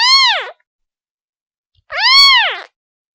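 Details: Two plaintive kitten mews to its mother, the second longer and louder, each sweeping up and curving down in a clear harmonic arc, with a quiet gap between them.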